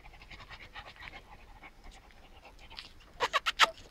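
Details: Shar Pei dog panting: soft, rapid breathy puffs at first, then four louder, sharper huffs in quick succession near the end, over a faint low hum.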